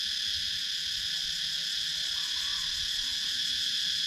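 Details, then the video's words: Cicadas in a Sakon Nakhon, Thailand woodland, GoPro Hero 9 recording: an even, high, rasping drone that holds steady throughout, quick faint pulsing within it and a quiet countryside backdrop. "Cicadas Sound"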